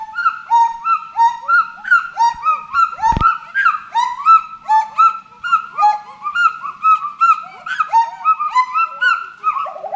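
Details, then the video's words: Chorus of forest monkeys giving rich, harmonic arched calls that overlap continuously, rising then dipping in rapid succession, with a single sharp click-like knock early on. "FOREST MONKEY VOICE"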